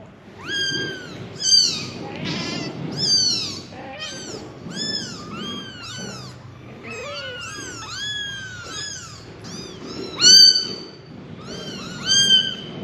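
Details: Five kittens calling for their mother with high, thin, rising-and-falling meows that overlap densely throughout, some louder bursts standing out over a soft low rumble.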